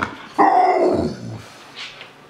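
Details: Alaskan Malamute talking back when told to roll over: a loud, drawn-out harmonic vocal sound that starts abruptly, wavers slightly and fades over about a second, followed by a faint softer sound.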